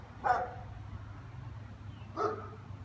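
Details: German Shepherds barking in an afternoon session lasting into evening: two separate mid-pitched barks about two seconds apart, over a constant low hum.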